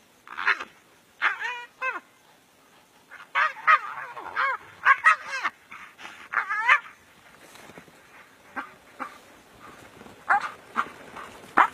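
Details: A fierce fight between two brown hyenas in the African bush, full of loud, quavering squeals and whining yelps that sweep up and down, some drawn out and others clipped, in irregular volleys.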